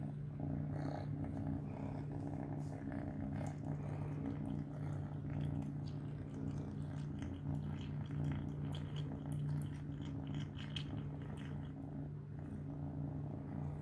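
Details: Three-month-old pet kitten purring continuously while eating mealworms, a deep even rumble throughout with scattered faint chewing clicks over it.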